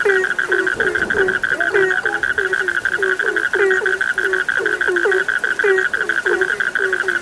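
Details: Many frogs calling together, with rapid, short, low croaks tumbling over one another against a constant shrill trilling drone.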